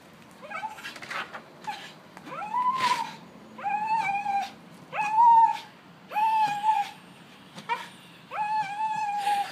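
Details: Welsh Terrier dog howling indoors: a run of drawn-out, rising-then-level wailing notes, each about a second long, separated by short yips and sniffy gaps, growing more insistent toward the end.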